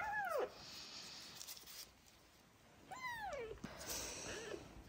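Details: Abandoned sick kittens with ringworm, trichomonas and festering eyes, being bottle-fed. Two clear, drawn-out mews slide downward, one at the start and one about three seconds later. A steady high background hiss runs underneath.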